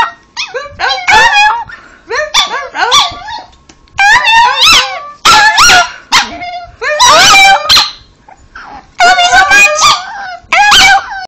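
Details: Talking Chihuahua named Cosmo Kramer, a pet dog, vocalizing in a run of short yipping, whimpering howls, each burst sliding up then down in pitch, coming in clusters about every second or two with brief pauses between.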